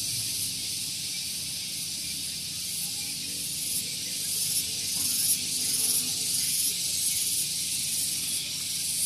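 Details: Cicada chorus on a morning at Gunung Geulis, Bogor, West Java, near a vehicle parking area: a loud, continuous high hissing drone with faint pulsing swells, steady throughout.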